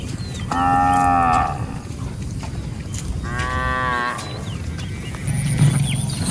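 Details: Herd of cattle wandering through a rice field, grazing; two long, level, strongly harmonic moos about two seconds apart, then low rumbling noise.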